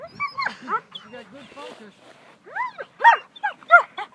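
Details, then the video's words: German Shepherd Selah during protection work, giving arched, harmonic barks that come in short bursts and grow louder and more spaced near the end, mixed with human voices. "SELAH protection work"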